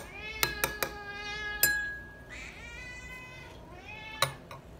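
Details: Cat begging for food, giving a long steady meow that bends downward at the end, with sharp clicks of utensils before and after and faint music.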